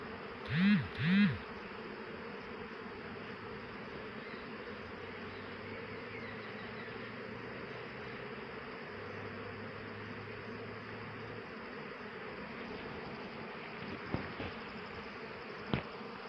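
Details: Honey bees collecting nectar from eucalyptus flowers, a steady low hum of many wings filling the air, with a couple of louder droning passes early on and faint clicks near the end.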